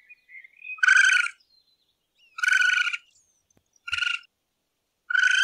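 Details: Raccoon at night making noises compared to twirling cotton candy: rough, vibrating, pulsed bursts with stacked overtones, about four in quick succession, a faint thin whistle before the first.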